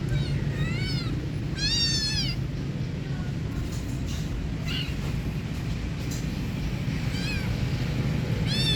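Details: Angry cats fighting: drawn-out wavering yowls rising and falling in pitch, one near the start, a louder one around two seconds and more toward the end, over a constant loud low rumble of background noise.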